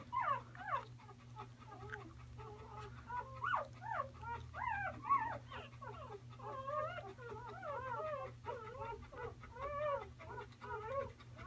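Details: Close-up newborn Bernese Mountain Dog puppy whimpering almost nonstop, bending squeals and short yelping cries tumbling one after another, with a constant low electrical hum behind.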